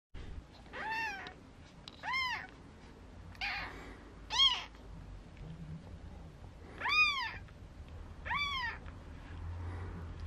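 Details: Four-day-old Maine Coon kittens at a cattery in Tokyo, Japan, indoors, giving thin, high, arched mews, each rising then falling, about six calls in ten seconds, spaced unevenly, with soft rustling between them.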